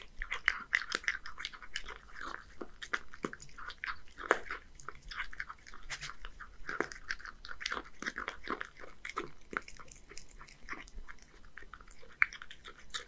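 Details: Hige, a one-year-old male Scottish Fold living in Japan, eats boneless horse mackerel mixed with dry food; dense crunching and wet chewing clicks come in quick irregular bursts throughout, with no other sounds.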